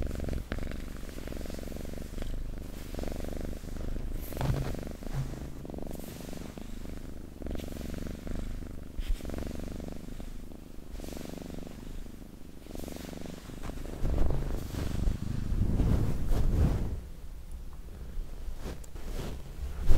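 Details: Pet cat purring for ASMR, a low throaty rumble in slow breathing cycles, with handling noise and brief louder rustles near the end.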